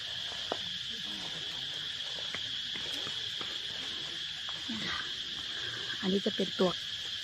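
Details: Cicadas in their calling season, searched for as seasonal food; a continuous, steady high-pitched buzz fills the recording, with people talking and brief clicks over it.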